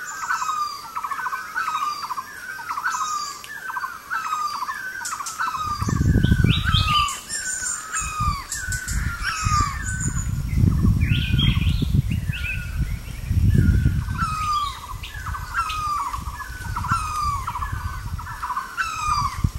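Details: Kio's tree frog, a rainy-season breeder of tall trees that lays foam nests on branches above temporary pools. Short, bright chirping notes repeat steadily several times a second. Other chirps join them, and bursts of low rumbling noise come in midway.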